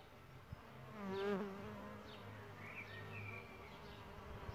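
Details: Solitary bees nesting in a bug hotel: a bee's buzz swells and rises in pitch around the first second as one flies close, with stacked harmonic tones, then fades to a low hum while small birds chirp in the background.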